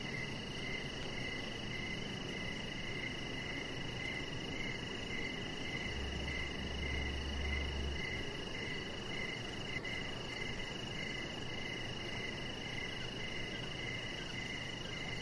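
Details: Evening crickets outside by a deck, a chihuahua puppy lying under decoration lights; fast repeated high chirps continue about 109 times a minute, with a brief low hum midway and steady background hiss.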